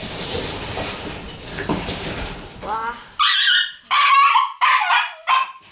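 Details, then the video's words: Tsubaki, a white Shiba Inu puppy born 22 December, on her departure morning: after a stretch of muffled talking and rustling come five high, clipped yelps in quick succession, each short and ringing, with brief silences between. "12月22日生まれ白柴 椿の旅立ちの朝"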